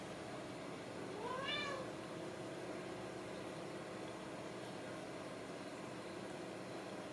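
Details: Ragdoll kitten raised indoors without cages at a cattery in central Kansas, giving a single short rising-then-falling meow against a steady loud background hum.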